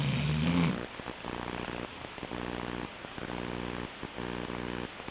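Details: Chi-chan the Labrador Retriever snoring in sleep: opens with a loud, wavering throaty snore, followed by quieter buzzy breaths repeating in regular pulses with brief pauses between.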